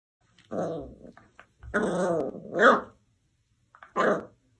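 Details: Dachshund puppy indoors giving three throaty, harmonic growling bursts, the middle one longest and rising into a sharper yelp-like peak, then a brief final growl after a short pause.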